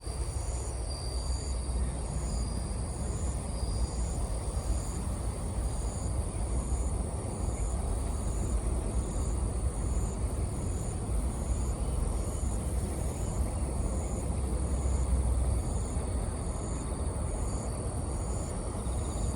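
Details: Bell cricket calling in autumn, recording amplified: faint, high, ringing chirps repeated about twice a second, each short and steady-pitched, almost buried under a loud, continuous low rumble of traffic or wind.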